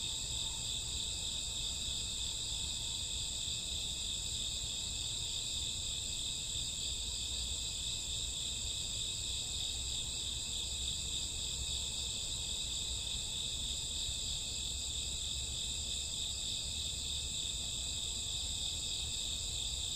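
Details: Crickets with grassworms on a summer or autumn night: a dense, unbroken high shrill chorus that holds steady throughout, with no pauses and low background rumble.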